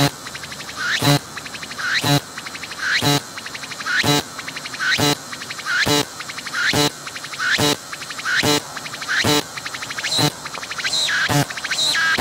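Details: Cicada singing at close range, filmed with a 180-degree 3D VR camera while it moves its abdomen; loud, steady series of rising pulsed sweeps, each ending in an abrupt raspy burst, about eleven phrases at a near one-second rhythm.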